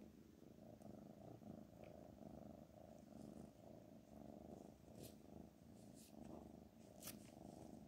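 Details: Continuous low purr from a pet cat named Black Panther, a buzzy, throbbing hum that never breaks, with scattered light high-pitched ticks over the top.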